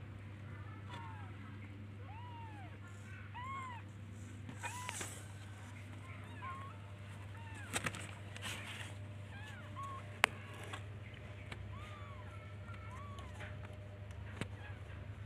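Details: Baby kittens calling for their mother: many short, soft, arched meows repeat throughout, sometimes overlapping, with occasional clicks and knocks and a constant low hum in the background.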